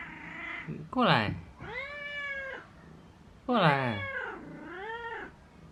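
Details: A pet cat indoors gives two loud, drawn-out meows, each opening with a sharp rising onset and then bending down in pitch, about two and a half seconds apart, in a quiet room.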